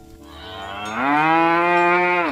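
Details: Cow walking in mud calling herd mates to go home to the barn; a long, deep moo that rises slightly at the start, then holds steady and strong for over a second before cutting off.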